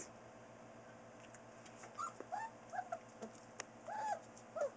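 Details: Four-week-old Newfoundland puppies, from Buffy and Smokey's litter born October 30, 2013, indoors at nap time; short high whimpers and squeaky yips come in scattered bursts over a steady low hum, several brief cries rising and falling.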